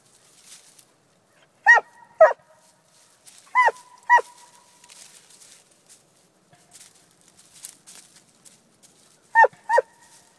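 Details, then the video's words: Coonhound barking in quick doubled bursts, three pairs of harsh, ringing barks spaced a couple of seconds apart, with soft scuffling and faint background noise in the gaps. "Coon hound"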